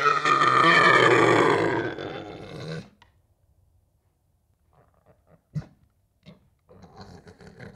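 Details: A deer in the wild gives a loud, harsh, drawn-out grunting roar lasting nearly three seconds.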